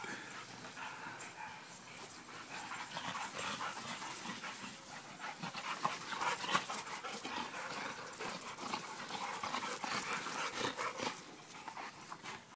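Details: Pit Bull, Presa Canario and American Bulldog at play: fast, breathy panting and scuffling runs throughout, with occasional louder thumps and bursts of rough play noise.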